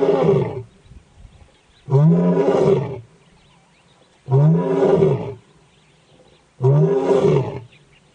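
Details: A lion roars in deep, throaty bursts, each about a second long, repeated every two to three seconds.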